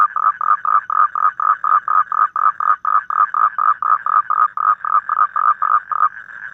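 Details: Evening toad call outdoors: a string of short, regular croaking pulses at a steady mid pitch that end after about six seconds in a drawn-out, smoother note.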